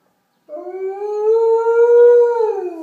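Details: Alaskan Malamute (Canis lupus familiaris), howl: responding to an ambulance siren.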